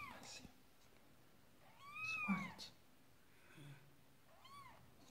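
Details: During Marley the Persian cat's labour with her second kitten, three drawn-out arching meows spread over five seconds, with soft background rustling and faint murmuring indoors.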